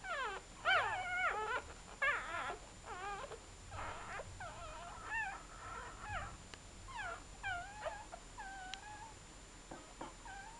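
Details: Chow Chow puppies of a litter born 23 July 2010, first day of life, squealing in high wavering whimpers and yips, several pups overlapping in short rising-falling cries about twice a second, over a quiet room with a faint whine.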